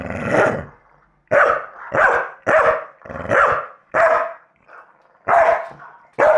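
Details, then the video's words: A Staffordshire Bull Terrier dog barks at a recording of himself: a long rough bark, a pause, then sharp, evenly spaced barks about twice a second, with one fainter bark in between. "staffy barking at a recording of himself barking"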